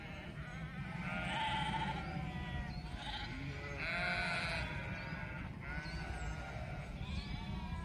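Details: Sheep in a flock giving overlapping, quavering bleats in quick succession, several voices calling at once with wavering pitch, over a constant low rumble in the background.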